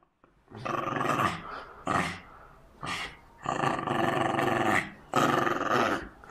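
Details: Aggressive Jack Russell Terrier growling during tug of war: about five throaty, rough growls of roughly a second each, separated by short pauses, with the longest rumbling bout mid-clip.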